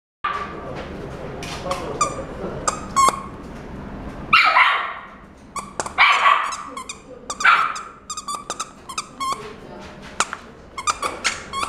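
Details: Black-and-tan female Miniature Dachshund born July 2017, kept in a pet shop, gives a few sharp, breathy barks spaced a second or two apart amid clicks and light room noise.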